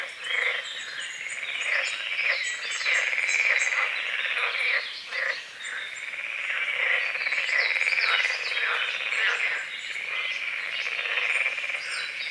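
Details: Frogs croaking at dawn on a small lake at the forest edge, with morning fog, calamus and water lilies. A dense, steady chorus of rattling croaks swells and dips, while birds add high whistled notes and chirps over it.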